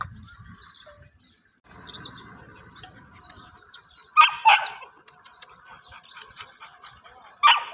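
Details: English pointer puppies enjoying the morning weather and playing outdoors; a few short sharp barks rise out of quiet rustling and faint bird chirps, with a final yelp near the end.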